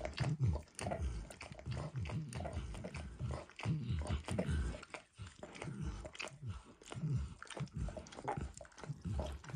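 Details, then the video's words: Steady, wet lapping from Max the dog as he licks eggs and peanut oil off a bumpy orange mat, with continuous smacking strokes and occasional sharper clicks, no talking. "Max Licks | ASMR Dog Licking | Max & The Orange Mat"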